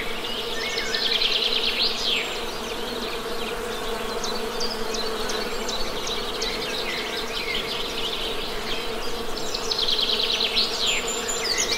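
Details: Steady low drone of honey bees around a hive, unbroken for the whole stretch, with bursts of quick, high bird trills near the start and again toward the end.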